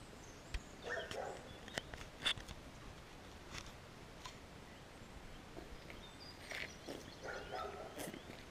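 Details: Dog barking persistently near a village at the start of a walk, filmed on a GoPro Hero; short harmonic barks come in bursts near the start and again toward the end, distant and muffled, over footsteps and faint outdoor ambience.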